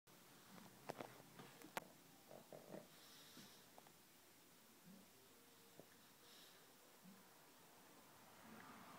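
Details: Jerry, a pug, sleeps, twitches and dreams indoors, giving soft, low snores roughly every two seconds, with a few sharp sniffs and clicks early on and a quiet room between breaths.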